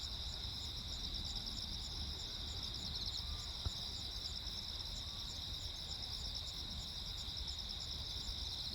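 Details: On Jeju Island, the night of 15 August 2024, crickets keep singing peacefully through a lightning storm: a continuous high ringing trill with evenly spaced pulses, several insects overlapping, one brief sharp click midway, faint low background hum.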